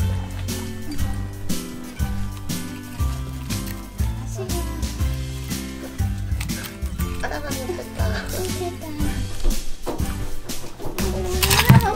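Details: Upbeat background music with a steady bass line plays throughout, mixed with soft splashing and trickling water and a little speech.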